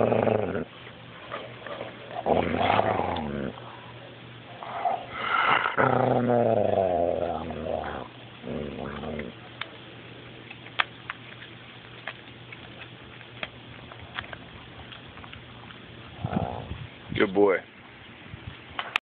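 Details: Male coonhound guarding his steak bone, growling protectively when someone comes too close: rumbling, groaning growls with wavering harmonics in a burst over the first eight seconds, then quiet with faint clicks, and a short growl again near the end.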